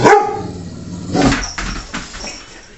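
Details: Pet dog Taz barking while acting tough toward Sky, the family cat: one loud, sharp bark at the start, then a second rougher bark and fading scuffling noises indoors.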